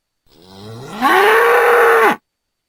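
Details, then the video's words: One bull's call on a farm begins as a quiet low grumble, then swells into a loud, harsh, strained bellow that holds level before cutting off abruptly. "Bull sounds"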